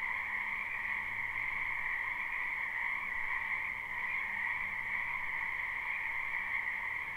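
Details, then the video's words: Frog chorus from a wetland in spring, recorded live: many overlapping croaks fuse into an even, high trilling wall of sound with no pauses. A faint low rumble drifts beneath. "Ambient Noise for Sleep Frogs Black Screen"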